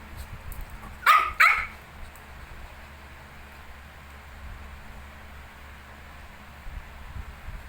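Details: Shih Tzu with 19-day-old puppies: two short, sharp barks in quick succession near the one-second mark, then only quiet room hiss for the rest.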